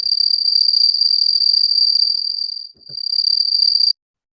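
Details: Shrill, steady trill of a cricket noted for its characteristic sound intensity, dipping briefly near the middle with a faint low knock, then cutting off abruptly before the end.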